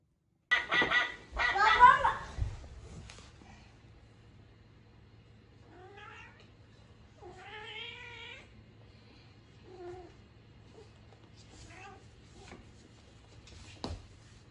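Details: Norwegian Forest Cat and Ragamuffin cats quarrelling indoors while the fight is broken up: a loud scuffle burst at the start, then drawn-out wavering yowls and growling moans, with a low steady hum underneath.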